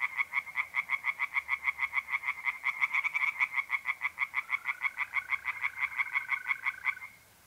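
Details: Tree frogs in a pond on an April night in north-east Italy give a long, fast run of sharp, regularly pulsed croaks for about seven seconds; a mole cricket's smooth trill joins near the end.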